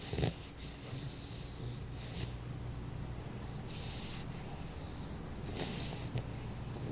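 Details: Sleeping baby bulldog snoring steadily, with rough, wheezy breaths and a raspy hiss on each intake repeating every couple of seconds, all low and rumbling in a quiet room.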